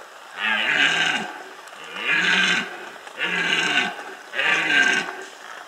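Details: Loud red deer rut calls from the Bieszczady in 2015, four strong, rasping roars close together, each about a second long with a grinding, grunting texture and brief gaps between.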